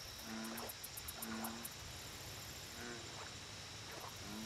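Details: American bullfrog calling at a lake: four short, deep, buzzy croaks spaced about a second apart. A steady high insect drone and pulses of fast high-pitched chirping run behind them.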